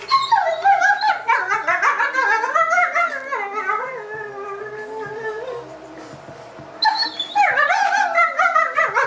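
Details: A dog vocalizing while playing with another dog, a long run of wavering, whining and howl-like sounds sliding up and down, fading toward the middle before a louder burst of yips near the end.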